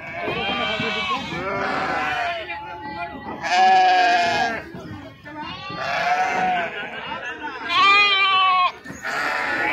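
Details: Sheep unloaded at the Pebbair sheep and goat market, giving loud quavering bleats in bursts roughly every two to three seconds, overlapping one another, with human voices in the background.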